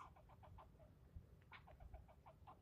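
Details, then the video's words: One squirrel scolding the person filming, a tirade lasting almost ten minutes: hoarse barking notes about six to the second, a short break, then a fresh burst of roughly eight, with steady low rumble behind. "Getting yelled at by a squirrel"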